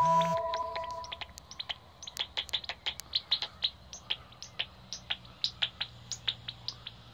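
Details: Pipistrelle bats at Bowesfield Nature Reserve, where bats are plentiful, through a Magenta Bat Detector: a brief electronic beep opens, then a quick irregular patter of crisp clicking pulses, several per second.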